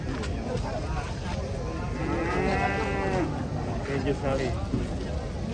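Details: Giant sacrificial cow being unloaded from a truck, drawing onlookers: a drawn-out harmonic moo rises midway and fades, over a steady bed of crowd chatter and low rumble.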